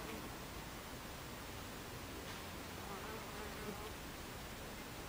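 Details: Buckfast bees at the beehive entrance, recorded 26 July 2013 at 14:30: a dense, steady hum of many bees, with faint droning tones of individual bees passing close through the buzz.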